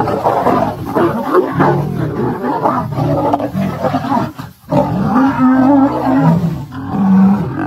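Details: Wild lions in a fight, a lioness attacking a mating male and female; continuous loud, raspy snarling roars overlap for the whole stretch, with one short dip midway before harsh, throaty growling resumes.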